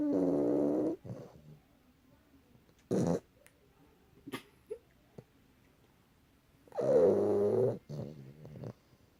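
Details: A pet cat snores. Loud buzzing breaths of roughly one second recur about every three seconds, each with a low humming tone. Faint clicks and short rustles fill the quiet stretches.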